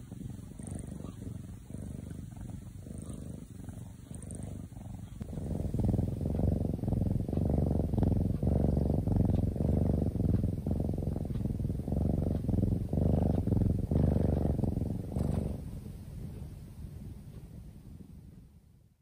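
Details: Deeply sleeping kitten purring: a soft rumble that swells at five seconds into a loud, steady low throb pulsing with each breath, then fades away after fifteen seconds.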